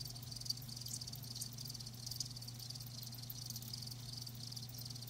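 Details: High rhythmic chirping of live crickets forms an even shimmering band, softer here, with a low droning hum and faint background noise.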